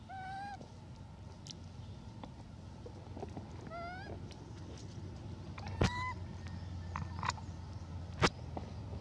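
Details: Elpida, a female hybrid monkey, requests food with clear rising-then-level whistled coos, rich in overtones. Three main calls come at the start, near four seconds and near six seconds, with a few sharp clicks and a low background rumble.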